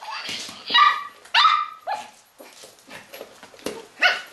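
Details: Bailey, a pet dog, goes crazy attacking a Christmas cow toy he dislikes, giving a burst of sharp, harmonic barks and yelps, several loud ones in quick succession followed by softer growling and whining notes, indoors.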